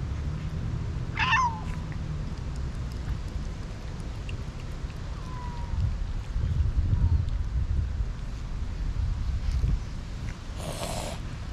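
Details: Stray city cats come running when a man opens his arms and calls them for food and affection; one loud, rising meow early on, then a few softer, brief meows over a steady low rumble of street noise.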